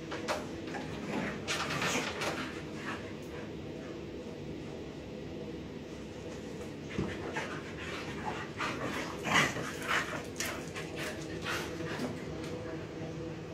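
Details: Indoors, three pet dogs, one of them a puppy, play together. Continuous panting and rough scuffling with scattered short growly bursts and one brief yelp, over a low room hum.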